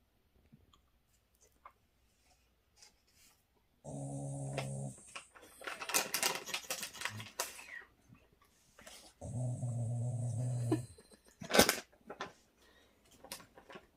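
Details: Shiba Inu called Bongsim, indoors and wanting ice cream, gives two drawn-out, tonal whining cries about a second and a half each, separated by rustling and clattering noises, with a few soft clicks before and after.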